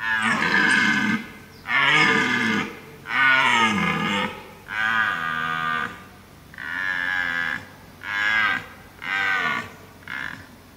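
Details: A red deer stag in Abruzzo, Lazio and Molise National Park, Italy, gives a run of powerful, throaty bellows, each roar about a second long with brief pauses, rough and groaning, falling slightly in pitch at the ends.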